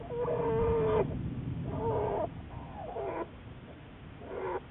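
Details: Black bear Juliet, observed by Wildlife Research Institute biologists, March 1, 2014: a drawn-out steady whining cry followed by shorter wavering cries, over a low constant hum.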